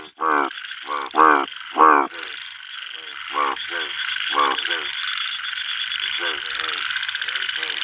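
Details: At a pond during monsoon rain, a male bullfrog calls with loud, throaty croaks in short bursts over the steady hiss of heavy rain.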